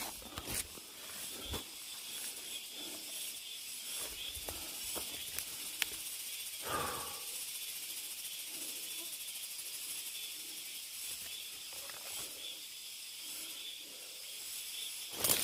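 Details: Cicada chorus deep in a mountain forest, heard while hiking: an unbroken, shimmering high buzz fills the whole stretch, with occasional footstep crunches and a soft rustle partway through.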